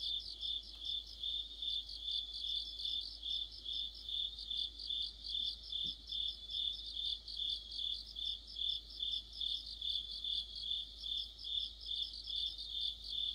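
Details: High, unbroken cricket chorus with other insects in the middle of autumn beside a streetlight, its ringing trill throbbing rhythmically about two to three times per second for the whole stretch; faint low hum beneath.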